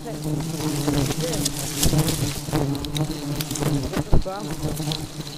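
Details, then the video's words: Aggressive honey bees hum in a thick, low, sustained drone, with crackling handling noises and one loud knock near the end. "Lebah Madu Sangat Agresif"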